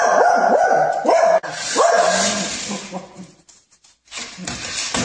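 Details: Dog from a funny dog compilation giving a quick series of high, tonal yelping barks that rise and fall, about four per second in the first second and a half, then rough broadband noise and a short silence before more clatter.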